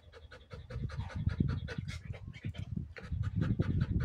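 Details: A Belgian Malinois resting briefly pants hard and close, with fast, uneven, breathy huffs at roughly three per second and a heavy low rumble under each breath.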